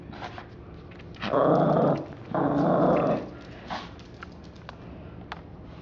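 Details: Little domestic dog attacking a teddy bear, giving two sustained throaty growls of under a second each, separated by a short gap, with faint scuffling and rustling of the toy around them.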